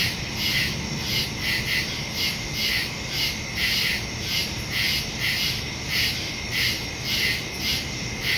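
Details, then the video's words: Crickets calling in the woods after dark, September 2 recording on a phone with stereo microphone; steady rows of bright, high chirps repeat in a fast even rhythm over a persistent insect hum. "Crickets in the woods at night"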